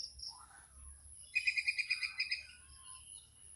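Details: A squirrel near Chaprashirhat gives a brief run of sharp, high-pitched chips, about eight in a second, with faint softer chirps before and after, over a quiet background.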